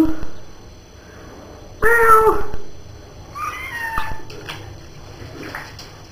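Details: Pet cat meowing while taking a bath indoors: a loud, drawn-out meow about two seconds in, then a softer, wavering meow a moment later, with a person's voice and faint room noise around it.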